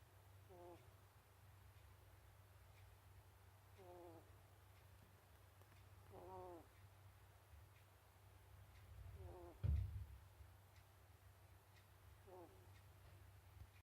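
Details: Sasuke, a pet ferret, asleep and making tiny, cute breathing sounds like little snores: faint squeaky breaths about every three seconds over a low steady hum, with one soft thump midway.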